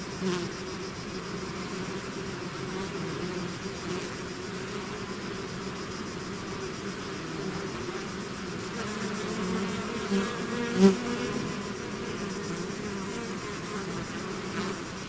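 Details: Bees swarming out of their hive give a constant layered buzz, low droning bands that swell slightly around the middle, with a few brief louder buzzes as single bees pass close.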